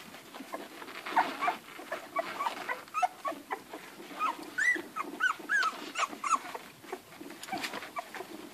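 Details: Litter of eleven Irish Red and White Setter puppies nursing, with quieter, fainter whimpers and short squeaks scattered through steady rustling and suckling noise, a few clearer rising squeals near the middle.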